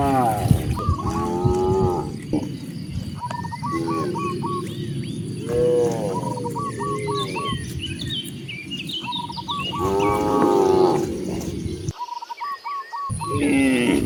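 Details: Cows roaming freely en route to broad grasslands, mooing in long harmonic calls every few seconds, with short repeated bird chirps and faint outdoor background between calls.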